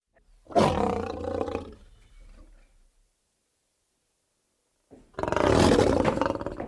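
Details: Lion roaring: a long, rough, broad roar of about a second and a half, fading away, then near silence before a second loud roar starts and continues to the end.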